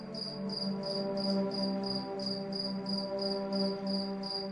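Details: Night crickets under moonlight: high, thin chirps pulse steadily about three to four times a second, laid over soft, sustained relaxing music with low droning tones.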